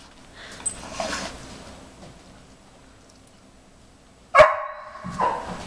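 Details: Indoors, Jimmer, a 4.5-month-old briard, barks in the background, eager to help during nosework treat-finding with tennis balls. Two loud, sharp yelping barks come close together near the end, after soft rustling and movement noises.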